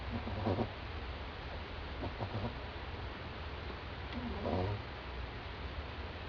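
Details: French Bulldog named Doudou asleep on a doormat, snoring very loudly: short rough snorts at about half a second, two seconds and four and a half seconds, over a steady low indoor hum.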